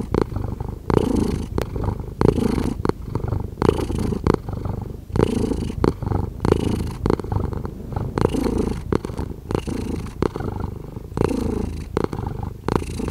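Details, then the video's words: Cat purr recorded closely, a soft low rumble chopped into rhythmic breath-length bursts, consistent in pace and volume, with no other noises. "Cat Purring"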